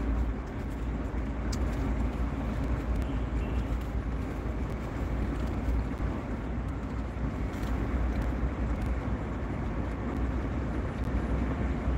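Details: Steady low rumble of passing vehicle traffic fills the whole stretch, with no animal voices.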